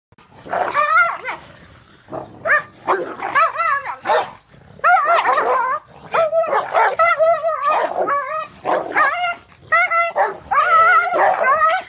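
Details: Great Pyrenees, a female guarding her food, going a little crazy at a pit bull/lab mix in play-like squabbling; loud harsh barks, snarling growls and yelping whines in rapid overlapping bursts throughout.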